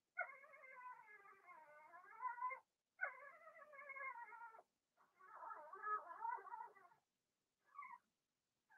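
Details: Cavalier King Charles Spaniel puppies, Blenheim litter of six kept in an indoor pen, cry in long harmonic wails about two seconds each, the third burst rougher and wobbling, followed by a brief squeak.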